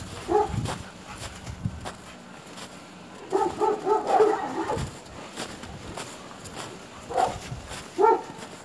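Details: Alaskan Malamute together with another dog: one bark at the start, a quick run of four yelping barks mid-way, then two more single barks near the end, with faint rustling between.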